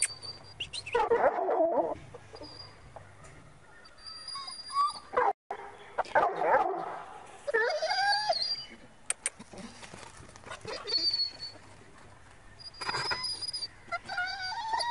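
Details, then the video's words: Pure Bully Kutta, a large muscular mastiff breed from Pakistan, ready for mating; high whining and yelping in bursts, rising and falling, with brief human speech and background noise between the calls. "Bully Kutta Ready for mating || pure bully dog ready for mating"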